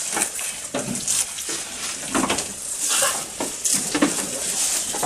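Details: Goat eating, recorded close up: crunchy, crackling chewing and rustling bursts come in uneven clusters roughly every half second to second, with a steady hiss underneath.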